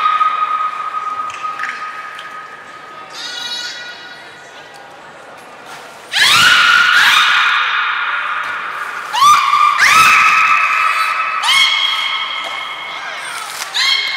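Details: Belugas Gray, Mirai and Niko in training at Port of Nagoya Public Aquarium on 16 December 2018: a long sustained tonal note, then a series of loud, abrupt, rising harmonic calls that level into held tones, with faint voices in the background.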